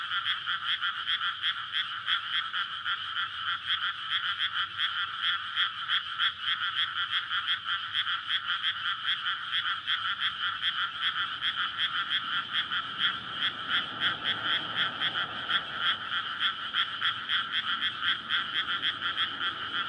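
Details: Frogs gather to breed once a paddy is flooded in May, calling loudly at night beside a road. A long, relentless chorus of fast overlapping croaks keeps a steady pulse throughout, with a soft low hum rising midway.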